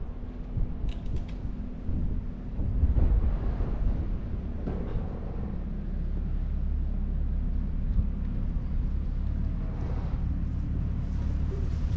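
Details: Continuous low rumble of passing vehicles in an outdoor urban setting, with a few faint clicks and no animal voice audible.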